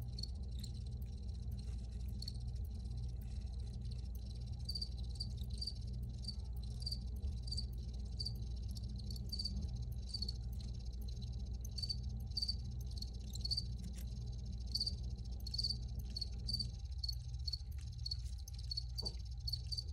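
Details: Crickets chirping in a field recording: short, high, bright pulses repeated roughly twice a second in a steady, slightly uneven rhythm, over a constant low rumbling hum.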